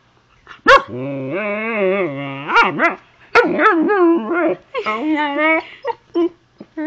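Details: Zoey, a young pet Husky, talks to her owner with long drawn-out howl-like vocalisations, wavering and sliding in pitch with rich harmonics, broken by short yips and whines; the owner's voice is heard between sounds.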